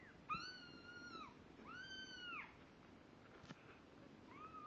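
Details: Two-week-old kittens, eyes open and beginning to walk, give drawn-out, steady, harmonic-rich mews that fall off at the end, about a second apart, then a shorter mew after a pause, in a quiet room.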